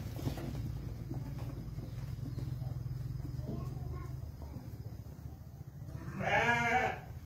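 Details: Young Dorper rams bleating, with one loud, wavering, harsh bleat near the end lasting under a second, over steady low rumbling background noise and fainter shorter bleats early on.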